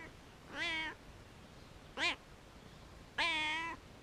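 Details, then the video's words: A very vocal cat on a wall gives three clear harmonic meows, the middle one short and arched, the last long and level, against low steady background noise. "Very Vocal Cat Meowing On The Wall"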